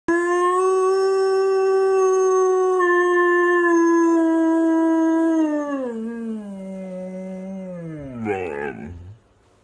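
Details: A Vizsla howling on a Sunday night gives a long, steady howl that slowly drops in pitch and ends in a wavering fall.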